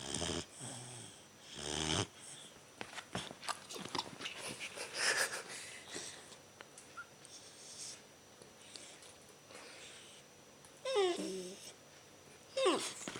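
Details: Bernese Mountain Dog puppy named Paula, three months old, snoring indoors while napping after a big meal; raspy, wheezing breaths come in irregular bursts, some louder snorts near the start and end.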